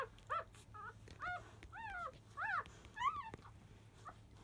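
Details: Five-day-old field-type Labrador Retriever puppies fussing loudly as nursing begins, just after 1 pm; six arched, harmonic whining squeals in quick irregular succession, rising then falling, over a steady low hum.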